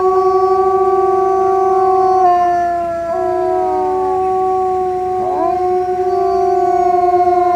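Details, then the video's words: Wolf howling: several long, steady overlapping tones hold level for seconds at a time. Voices shift pitch with sliding glides near the middle and again toward the end, forming a layered chorus. "wolf howl"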